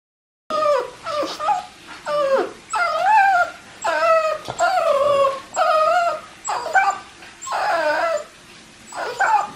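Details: Boston Terrier whining while stamping its feet, demanding treats or toys; a series of high, wavering, bending whimpers, each about a second long, repeated with short pauses between them.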